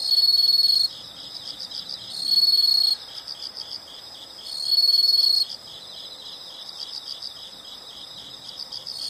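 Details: High shrill insect trills in short loud bursts roughly every two seconds over a constant pulsed chirping background chorus, a natural nature sound.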